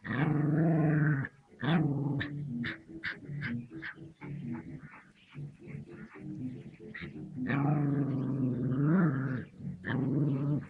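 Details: A puppy facing off against a snake growls in long, low, rough rumbles, with a sustained growl at the start, choppy broken snarls in the middle and another drawn-out growl near the end.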